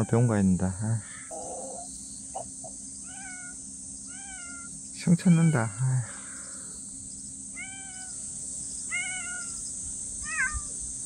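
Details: Domestic cat that wandered into a yard and refuses to leave, giving soft, short mews that arch up then fall, about six of them spaced one to two seconds apart, with brief human talk at the start and midway over a steady high hiss.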